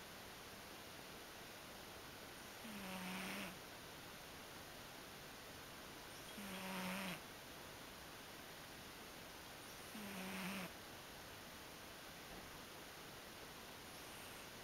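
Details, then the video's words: Sleeping male house cat snoring indoors, later snoring himself awake: three soft, low, buzzy snores, each about a second long, repeating roughly every three and a half seconds over a steady quiet hiss. "Snoring Kitty!"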